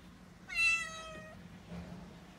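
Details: Mikene, a six-month-old female calico kitten, panics and cries indoors as delivery men bring in a new fridge. She gives one loud, clear meow, held and sliding slightly downward. A faint low hum sits underneath.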